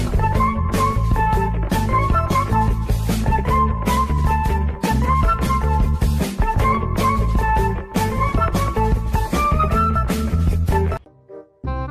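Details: Loud rock music with guitar, which stops abruptly near the eleventh second and leaves brief quiet fragments.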